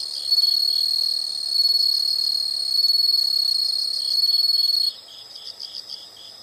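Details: Several insects sing together: a sustained piercing trill dominates for most of the stretch, cut off abruptly and followed by quieter clipped chirps in quick groups.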